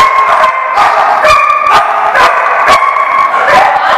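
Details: Dogs barking at a dog lot, recorded June 30, 2014: loud, overlapping barks roughly once a second in an uneven rhythm, with ringing tonal overtones and a steady din of further barking underneath.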